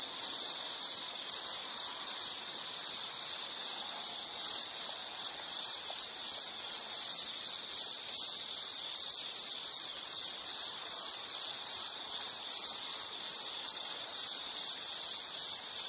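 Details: Nature-sound insect chorus: a loud, piercing high trill pulsing rapidly and evenly throughout, with fainter, even higher chirping layered above it.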